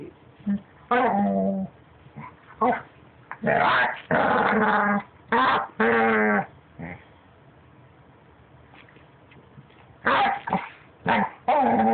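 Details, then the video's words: A puppy makes weird noises as if trying to talk: short whiny, warbling vocal bursts, some grumbling and quavering, in irregular clusters separated by quiet pauses. "Cute puppy making noises"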